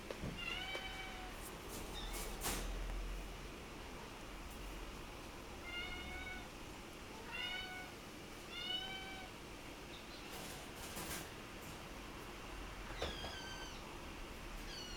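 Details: Black-coated male Munchkin kitten born 2 October, giving about five short, thin, high mews, each slightly falling in pitch and spaced irregularly through the recording, with a few sharp clicks and knocks between calls.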